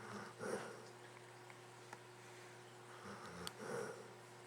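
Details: Sleeping pet dog Luke snores again, two separate rough, snorting breaths roughly three seconds apart over a constant faint background hum.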